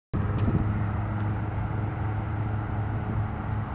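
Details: A low, even engine-like drone runs through the whole recording, with no barking or other animal sound.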